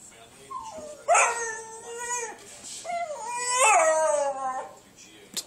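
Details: Foster puppy whining for another dog's bone, two long high whimpering whines with falling, wavering tones, each over a second long, plus faint background chatter.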